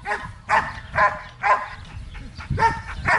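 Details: Belgian Malinois in training at Zumpango, State of Mexico, giving loud, evenly spaced barks about every half second, each harsh and broad.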